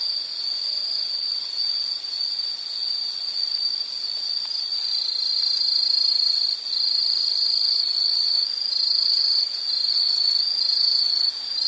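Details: Insects in a relaxing nature soundscape, a dense unbroken high trill of chirps with faint higher buzzing above, steady throughout, no other animals or voices.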